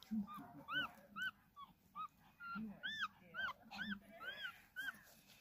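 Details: Puppy crawling and trying to find its mother: a run of high, squeaky, arched whines that rise then fall, about two per second, over a low rumbling background.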